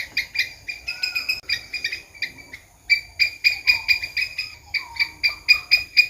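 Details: Rapid squirrel chatter: harsh, clipped notes repeated about twice per second in bursts, with a short pause before the series picks up again. Faint sliding whistles sound beneath.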